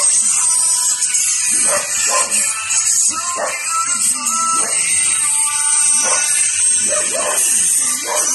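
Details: A Japanese Spitz puppy, sad because his littermates have been taken away, whines in short, wavering, high-pitched bursts, sounding lonely and distressed.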